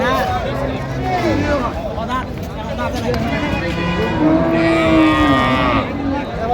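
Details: Cows and calves at a market in Ambari, Dinajpur, 16/1/26: several lowing moos, some short and bending, then a long, sustained moo near the end, amid constant crowd talk and bargaining voices.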